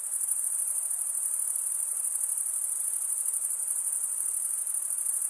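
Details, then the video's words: Crickets chirp steadily as males rub their wings together, producing a thin, very high, rapidly pulsing shrill. It holds at a constant level from start to finish. "Most relaxing cricket sound"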